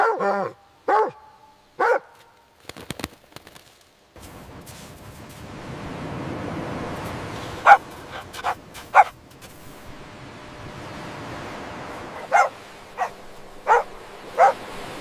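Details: Dog playing outdoors on fresh green grass, giving three loud harmonic barks about a second apart at the start, then a long stretch of sharp clicks, scuffs and faint background hiss.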